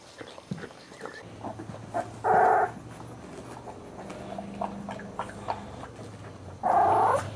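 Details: A puppy gives two short, loud, harsh barks roughly four seconds apart, with soft rustling, small knocks and a low steady hum filling the gaps between them.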